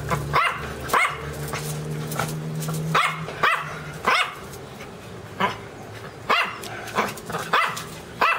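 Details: Dog giving loud, abrupt barks, sometimes in close pairs and sometimes spaced about a second apart, against a low droning background hum that fades midway.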